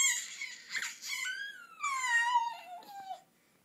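A pet gives a strange, monkey-like squealing whine that slides downward in pitch.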